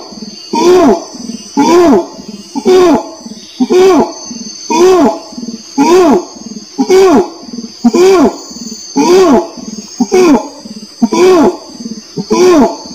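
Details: An orangutan gives a long regular sequence of booming hoots, about one each second, every note swelling upward and dropping back, with a constant high-pitched hiss behind them.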